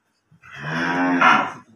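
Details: Holstein Friesian cattle being sold gives a single short, rich moo that swells and rises slightly at its end, in a quiet setting.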